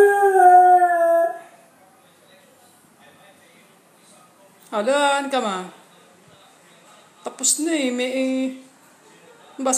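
A beagle gives drawn-out, tonal howls separated by pauses.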